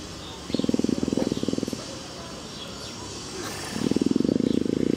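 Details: Affectionate female leopard in heat purring while a keeper scratches her back: two bursts of rapid, low, throbbing pulses, each about a second long, separated by a quiet pause with faint background voices.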